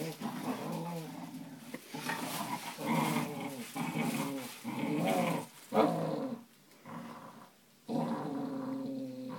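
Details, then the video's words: Two Cocker Spaniel puppies, brothers, play-fighting indoors: rough, rumbling growls in bursts of a second or two with short yappy snarls, pausing briefly between bouts. "Cocker Spaniel pupies fighting"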